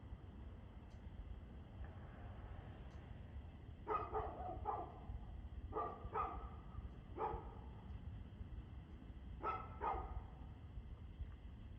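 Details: Barking dog heard at 6:02 pm on 2/6/2024: about seven loud barks, mostly in pairs with gaps of a second or two, over a constant low rumbling background noise.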